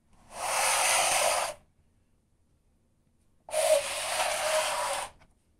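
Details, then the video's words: A cat dragging and scratching on a litter mat: two separate bursts of dry, hissing, sandy scraping, each lasting just over a second, with a quiet pause of about two seconds between them. "고양이 모래발판 끄는 소리"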